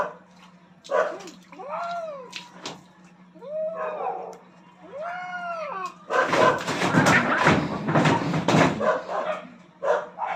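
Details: Two aggressive cats fighting for dominance on a rooftop: several drawn-out, arching yowls that rise and sag in pitch, followed by a few seconds of harsh, loud, noisy screeching before shorter cries return.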